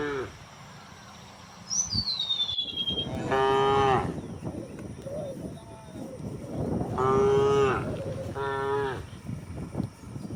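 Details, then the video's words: Morning herd of gentle cows and oxen heading across open countryside to green grazing fields; a thin descending whistle of a bird comes first, then three separate nasal moos a few seconds apart, amid scuffing, shuffling hooves and low background noise. "the sound of cows mooing"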